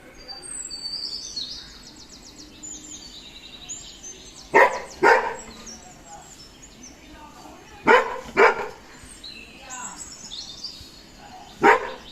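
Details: Golden Retriever barking while scared of a balloon: sharp, loud barks in two quick pairs near the middle and a single bark at the end, over steady chirping birdsong in the background.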